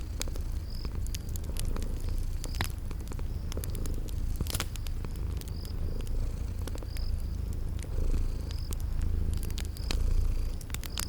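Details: Sleeping cats purring: a steady, low rumbling purr that swells and fades in slow pulses, with sharp crackling fire pops and a faint high chirp repeating every second or so.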